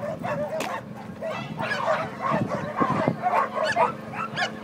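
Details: Great Dane at flyball, barking and yipping in short excited bursts over a noisy crowded hall, with people calling out and shouting encouragement throughout.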